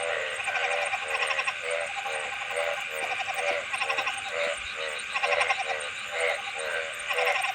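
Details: Many frogs croaking in bursts of fast pulsed notes, one train following another with little pause, set against a continuous shrill background drone.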